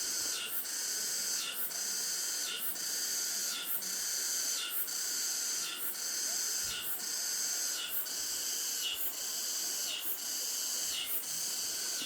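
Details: At the entrance to Cheongryongsa temple, Anseong, Gyeonggi-do, Korea, on a midsummer day, cicadas make a dense, high buzzing drone pulsing about once a second, with katydids and crickets chirping and flowing water beneath.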